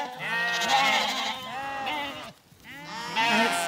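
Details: Zwartbles lambs just weaned and returned to pasture in County Kilkenny, Ireland, bleat for their mothers: a flock of harsh, quavering cries overlapping almost without pause, with a brief gap before another loud burst.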